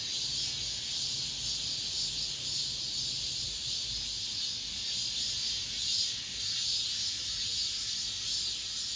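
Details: Many cicadas droning together in an apartment complex as summer ends. The steady, piercing buzz swells and fades softly every second or so, and a faint low hum sits underneath.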